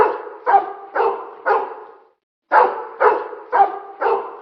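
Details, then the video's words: Steady, evenly spaced barks roughly every half second, each with a ringing tail, broken by one short pause; pit bull recorded together with other dogs. "TERRFICK DOG/// SOUND PIT BULL AND OTHER DOGS"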